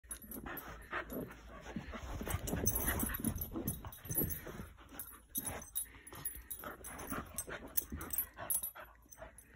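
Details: A corgi playing with a monkey toy gives quick, irregular barks and yips mixed with whimpering whines.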